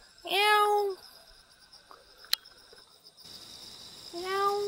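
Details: Wild cat in Jeonju, North Jeolla Province, South Korea, uttering two clear meows about four seconds apart, each rising sharply then levelling off, with a sharp click between them and a constant high insect hum behind.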